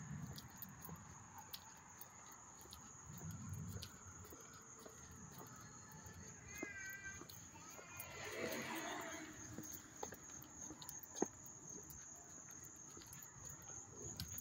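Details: Crickets chirping up close in Hastings-on-Hudson, New York, on August 13, 2024: a steady, high, unbroken trill runs throughout, with a brief murmur of voices midway and scattered faint clicks.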